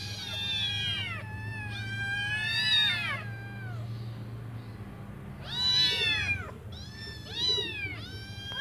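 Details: Five hungry kittens meow while waiting for their mother to come back and feed them: high, arching, harmonic-rich meows in overlapping bursts, several kittens calling together, with pauses between, over a steady low hum.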